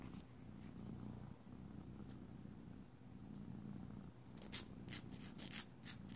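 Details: A domestic cat keeps up a continuous low purr while having its nails filed; steady rumbling in slow breath cycles, with a burst of quick filing scrapes toward the end.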